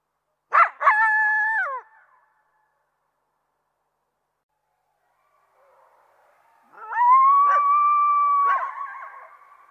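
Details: Coyote opening with sharp yips that lead into a short level howl, silence, then a longer steady howl broken by yelping catches before trailing away.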